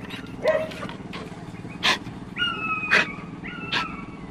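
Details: Puppy giving two steady, high, flat whining tones, each lasting about a second, amid scattered sharp clicks and a constant low background hum.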